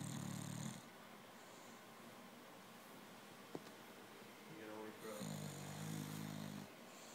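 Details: A 10-month-old female English Bulldog snores during a nap, lying face down, in long, low, rumbling breaths with a raspy, buzzing edge.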